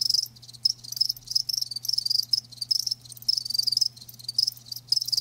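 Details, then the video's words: Live crickets trilling, sharp high chirps grouped into quick bursts about every half second, steady faint low hum beneath. "Live Crickets 60min "Natural Sound""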